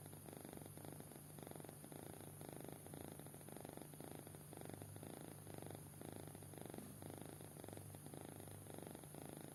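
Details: Deeply sleeping young cat snores gently, each breath a grainy low vibrating burst, repeating evenly about once a second over faint background hum.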